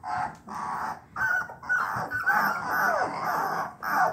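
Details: Three-week-old bluetick coonhound puppies give thin, wavering cries, their first attempts at the hound's bawl.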